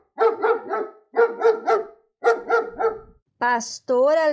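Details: German Shepherd giving three quick groups of three hoarse barks each, evenly spaced, then two short tonal voice-like sounds close the clip.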